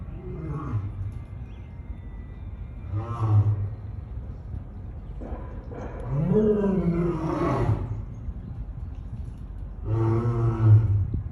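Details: African lion roaring, in a recording presented as lion snarling, roaring and sneezing: four deep, harmonic-rich roars rise and fall, one near the start, around three seconds, a longer one from six to eight seconds, and a final one near ten seconds, over steady low rumble.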